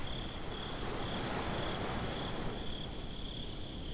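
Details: At night by the sea, crickets give a high trill that beats in soft, uneven pulses, riding over a thick roar of surf and wind.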